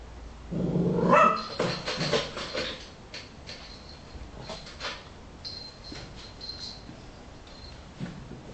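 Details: Cavalier King Charles Spaniel named Patrick, a pet chasing bits of a torn stress ball, gives a brief run of rough barks early on, then quieter scattered sounds.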